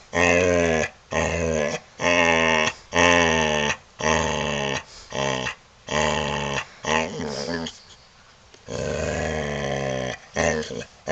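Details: Indoors on a couch, a male Boxer produces long, wavering, grumbling moans that swoop up and down in pitch. They come in bursts of about a second with brief gaps, and one longer, quieter stretch near the end.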